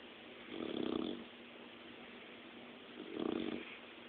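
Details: Sleeping dog snoring softly indoors: two slow, rasping breaths with a low throaty rumble, each lasting about half a second and spaced roughly two and a half seconds apart over a quiet hiss.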